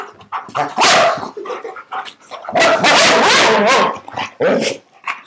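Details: Husky erupting in loud, rough barks and a long, noisy howling outburst, with quieter grumbling sounds between the blasts.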